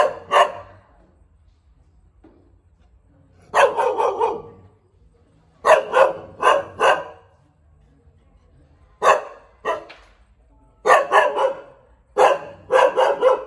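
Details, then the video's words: Repeated barking from a Thai Bangkaew dog: groups of two to four quick, loud woofs with pauses of one to three seconds, a faint low hum underneath during the quiet stretch. "เสียงหมาเห่า หมาพันธุ์บางแก้ว"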